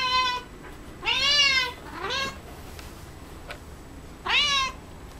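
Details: Pet cat Coco, eating cat grass, meows three times: a loud arched cry, a shorter rising one soon after, then another long wail following a pause, with faint clicks in between.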